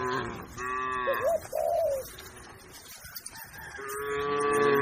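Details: Herd of cattle and calves grazing on a green field with their herder; a moo opens, a brief warbling call follows, then quieter rustling before another long, even moo swells at the close.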